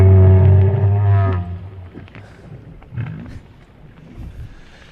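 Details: Southern right whales recorded from above the water with an aerial microphone rather than a hydrophone give a deep, tonal moan rich in harmonics, followed by lower grunting pulses.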